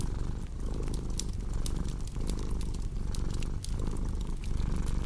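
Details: Cat purring steadily as a low, rumbling throb that swells and dips with each breath about once a second, overlaid by sharp crackles and pops from a fireplace.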